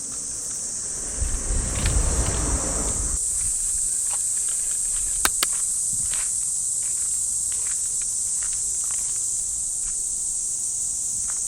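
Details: Cicadas keep up a constant shrill hum in the trees of a Japanese park on a summer morning; a burst of rustling grass and steps early on, then scattered footsteps.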